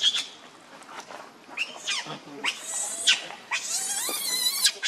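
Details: Baby monkey Leo begging its mother for milk out of hunger; scattered high squeaks build into long piercing screams with warbling, gliding pitch toward the end.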